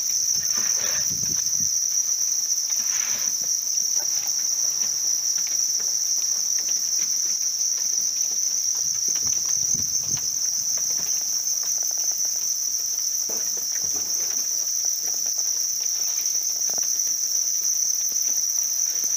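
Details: A mass of reared house crickets produces one unvarying piercing trill throughout, accompanied by occasional soft rustles and low bumps.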